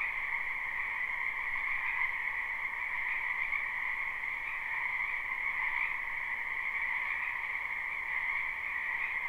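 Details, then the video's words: Spring wetland frogs behind a house chorus together in a thick, continuous wall of rapid pulsing croaks, a higher shrill band over a middle one, with faint swells in loudness but no gaps. "Ambient Noise for Sleep Frogs"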